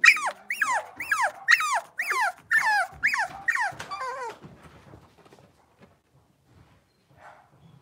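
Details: High, falling whines from blenheim Cavalier King Charles Spaniel puppies aged six weeks, kept indoors in a pen, come in a steady series of about eight cries before fading into near silence.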